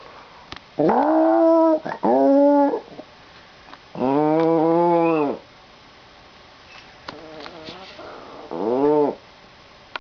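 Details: Pet dog's weird pre-school-departure noise: several wavering, arched whines and a longer bowed moan, followed by softer faint whimpers and a final rising cry amid indoor quiet.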